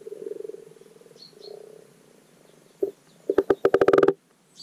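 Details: Common frogs (Rana temporaria) in a garden wildlife pond give their spring spawning call, low purring croaks ending in a quick burst of knocking grunts.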